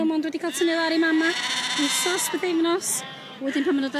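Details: Welsh Black Mountain sheep bleating: steady, nasal held bleats, some short and some drawn out, following one another with brief gaps, with scattered clicks and knocks in the background.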